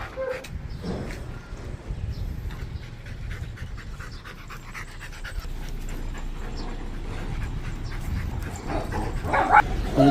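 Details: Labrador Retriever out on a walk, panting in soft breathy pulses about twice per second, steady throughout, over a constant low rumble of background noise.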